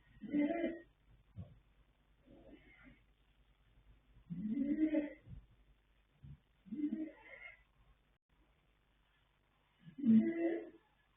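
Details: A sleeping colt foal named Yanta, born 21 January 2026, gives irregular snorts and rasping breaths, some loud and some faint, with brief soft puffs and rustles between them.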